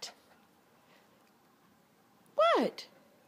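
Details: Bruce, a Boston Terrier, begging for a ball indoors gives one short, arched, whining squeal that rises then falls, after a quiet stretch and a woman's questioning voice.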